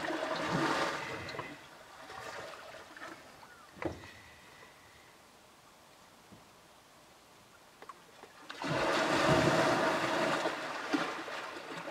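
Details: Splashing and rushing water noise comes in bursts at the start and end, with quiet between and no animal voice. A few brief knocks break the lull.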